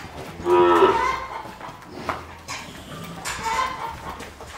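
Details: Gyr cattle herd of cows, heifers and calves on a farm in El Salvador; one loud, short moo early on, followed by quieter lowing and field noise while people herd the animals.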